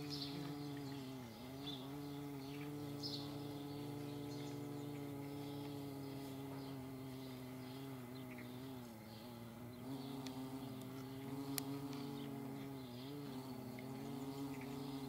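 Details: Flying paper wasps make a steady, deep humming buzz whose pitch sags and recovers every few seconds as the insects turn and shift, with light scattered clicks in the background.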